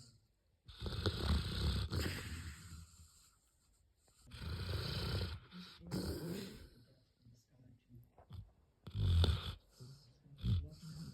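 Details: Sleeping black Labrador Retriever snoring while dreaming: deep, rumbling breaths in long bursts of about one to two seconds, separated by quiet pauses, with a rough, noisy texture and occasional sharper snorts.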